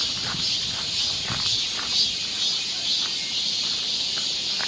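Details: Cicadas droning on a summer woodland trail in Seoul, Korea: a bright, steady hiss with a slight wavering pulse, and soft footsteps thudding now and then.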